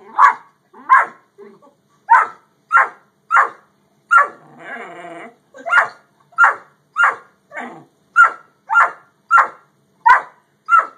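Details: Great Dane and Yellow Lab dogs barking in a steady series of about sixteen short, punchy barks, broken once by a brief rough growl-like rumble near the middle.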